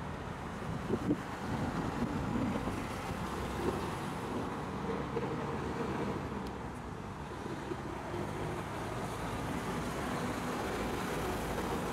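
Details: Steady low road traffic rumble with passing cars and light wind; no animal calls stand out.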